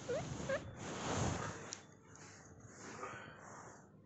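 A baby guinea pig gives two quick rising squeaks, followed by soft rustling and handling noise.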